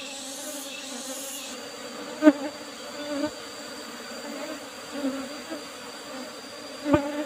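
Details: Asian honey bees (Apis cerana) kept in an old-style hive box with a used asbestos lid, during a honey harvest; a steady low droning hum with a few sharp knocks and a faint high whine.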